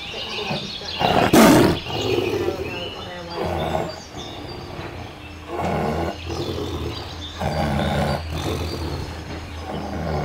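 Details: White tiger: a loud, harsh broadband roar near the second mark, then a run of rough, growling bursts about once a second. Thin chirps of birds run through the background.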